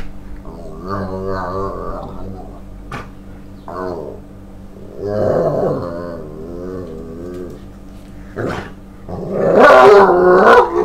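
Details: A male Staffordshire Bull Terrier, overexcited as its owner returns from work in the evening and expecting its walk, greets with wavering yowls and grumbling barks.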